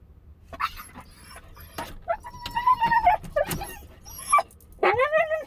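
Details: Siberian Husky puppy named Bandit left alone in a car while its owner went to the bank, letting out short whines and yips, one drawn-out wavering whine in the middle and a rising-falling cry at the end, some rustling between.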